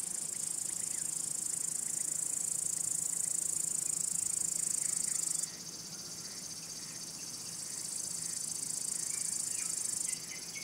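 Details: Crickets, males producing loud sounds by rubbing their elytra to attract females, court a mate or drive away other males: a continuous shrill high trill for about five seconds, then a sudden drop and quieter resumed chirring.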